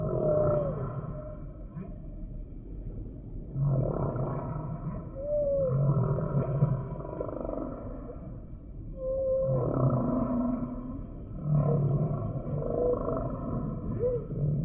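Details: Humpback whale song: a sequence of short rising whistled upsweeps and low groaning moans, separated by pauses of a few seconds, over a continuous deep underwater rumble.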